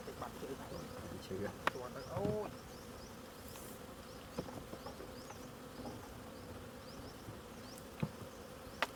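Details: Continuous low hum of bees at a honey harvest, with a brief murmur of a human voice near the start and scattered sharp ticks and knocks.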